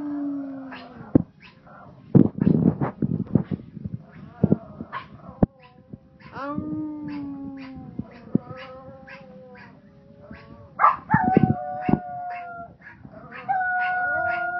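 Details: Howling Pomeranians: several sustained, wavering howls that slide up and down in pitch, mixed with sharp knocks and clattering noises, with background music.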